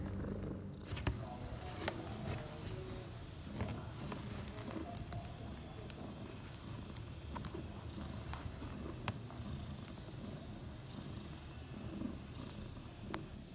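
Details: Bella, a mother cat, purrs six hours after giving birth to four kittens, three males and one female, born in the evening while the household slept; a steady low rumble runs throughout, with scattered clicks and light rustling.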